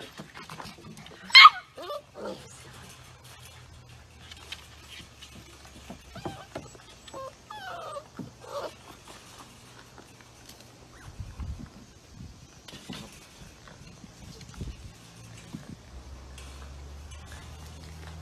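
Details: Labrador Retriever indoors, one sharp high yelp near the start, then soft, thin, pitch-bending whines and whimpers through the middle, with scattered small knocks and a low steady hum underneath.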